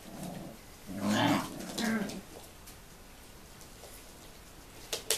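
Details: Tibetan Terrier grandmother with seven-week-old puppies from a 2015 litter, teaching them indoors: two brief throaty growls close together, followed by quiet shuffling and a few sharp clicks.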